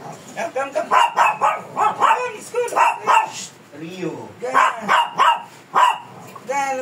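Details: Fierce Shih Tzu being groomed, giving rapid runs of sharp, yappy barks in two bursts of about six each, with a short pause between them and a person talking nearby.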